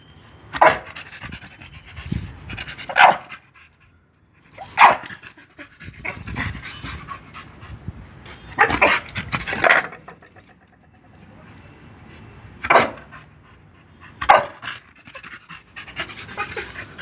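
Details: Pit Bull dogs panting during obedience training on voice commands, soft breathy panting broken by louder short broadband bursts at uneven intervals, with quiet gaps between.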